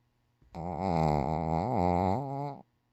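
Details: Sleeping Shih Tzu Dungi, stretched out and dozing soundly indoors, gives a single long rasping snore of about two seconds, rich in buzzing overtones with a slight wobble in pitch, starting and stopping abruptly in a quiet room.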